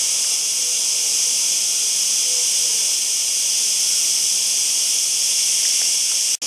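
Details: Cicada song as a constant, piercing electric-like buzz without pauses, cut off by a short break just before the end.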